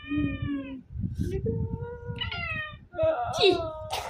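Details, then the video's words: Angry black domestic cat giving drawn-out, wavering meows and caterwauls, some rising then falling, with a harsh hissing burst near the end; a person talks over it and music plays. "#kucing #black #nyet #marah"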